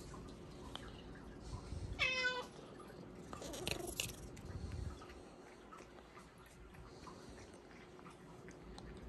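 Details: Hua, a pet Bengal cat, begs for supper of Japanese cod sticks after pouncing on its owner; one short rising meow with bright harmonics near two seconds, surrounded by soft chewing, rustling and small clicks in a quiet room.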